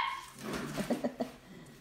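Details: Golden Mountain Doodle puppies at six weeks old, indoors: a short run of four quick, low yips or barks spaced about a sixth of a second apart, after a faint whine, with soft rustling in the background.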